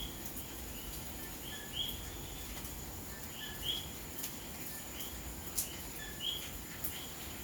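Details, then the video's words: Puerto Rican coquí frogs calling on a rainy May night in Santurce, San Juan, Puerto Rico: short clear whistled notes, some higher and some lower, repeated every second or two over a constant hiss of rainfall with occasional drips. "Noche de lluvia y coqui en Puerto Rico"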